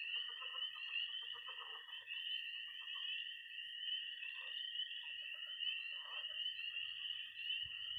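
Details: Frogs and toads calling at night in early spring in Missouri: piercing continuous peeping and a high steady trill, with scattered clusters of pulsed croaks and a low rumble at the very end.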